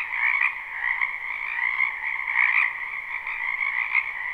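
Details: Spring chorus of numerous frogs in a backyard wetland, a live unlooped recording: constant layered croaking trills merge into an unbroken, buzzing wall of sound with occasional brighter surges, no other noises.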